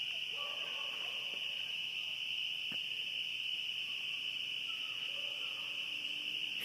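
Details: A dense spring peeper chorus at night in coastal southern Maine, countless high piping peeps merging into one continuous shrill ring, measured near 70 dB against a usual 45, with dogs audible.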